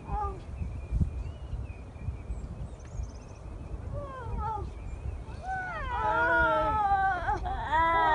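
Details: Newly born seal pup at Donna Nook calling for its mother: faint short cries early on, then a loud, drawn-out quavering wail that rises and falls in the last few seconds, over steady low wind noise.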